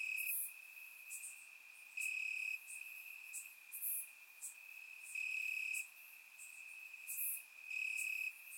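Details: Crickets chirping in grass on a warm summer night in Bulgaria, recorded with a surround microphone: a steady high trill with louder stretches about every two to three seconds, several insects overlapping, no other sounds.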